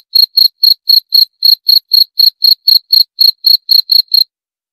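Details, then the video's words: High, bright chirps from a cricket, repeated about four times a second for some four seconds before stopping abruptly into silence. The background is clean. "28 Menit Suara Jangkrik - 28 Minutes Cricket Sound Effect"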